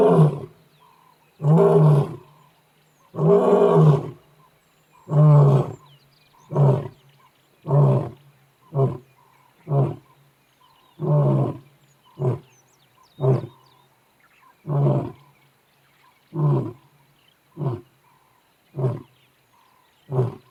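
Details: The Nharhu male lion roars on a morning safari in deep, long moans that shorten into a run of quick grunts.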